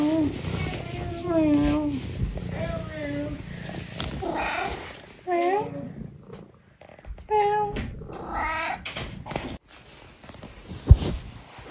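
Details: Eric, a pet cat, mewing at home: a series of drawn-out, tonal meows that bend up and down in pitch, several in a row over about nine seconds, with a person's voice and household noise around them.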